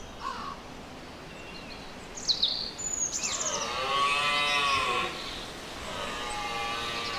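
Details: Red deer stag during the mating season, the rut: a drawn-out harmonic moan that falls slightly in pitch over about a second, with brief high bird chirps just before it and a faint outdoor background.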